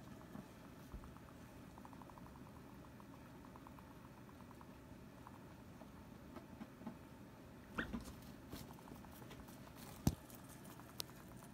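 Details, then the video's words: Guinea pig girls Sylvie and Jenny quarrel over space in a hammock; soft rhythmic pulsing chatter comes first, then a short rising squeak around the eighth second, with scattered clicks and shuffling in a small room. "Guinea Pig Girl Squabble | Sylvie Wants to Hang Out in the Hammock with Jenny"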